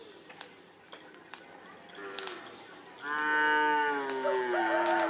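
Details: Madura cattle at bull racing (karapan sapi) practice at Asemanis field, Pamekasan, Madura, East Java, Indonesia: a long, loud harmonic moo of about two seconds after faint sharp clicks and a brief lower call.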